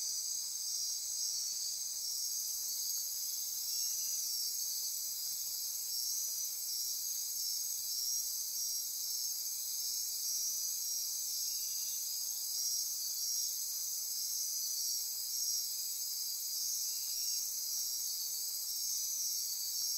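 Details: Nocturnal chorus of many insects in the Osa Peninsula rainforest of Costa Rica, near Corcovado: shrill overlapping trills and rapid pulsed buzzing hold at high pitch without break, with a slight swell in loudness at the start.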